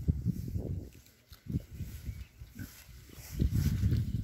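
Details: Berkshire pigs enjoying their new paddock, giving low, rough grunts in short irregular bursts, with a quieter pause in the middle before a denser run of grunting near the end.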